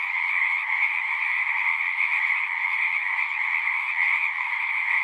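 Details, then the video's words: Massed frogs calling without a break, forming a thick, even trilling wall of sound in two stacked pitch bands, loudness steady throughout, with nothing else audible. "One hour of singing frogs."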